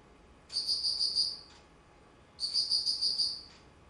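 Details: Insects calling in autumn, recorded 19 September 2009: two high, bright trilled bursts about one second long, each made of rapid pulses, separated by a quiet gap of roughly a second, over faint background hiss.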